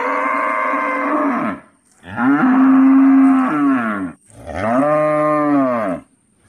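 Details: Indian cow mooing in three long, drawn-out calls, each about one and a half to two seconds, rich and harmonic with a slight rise and fall in pitch, separated by short silences; a faint steady high hiss runs underneath.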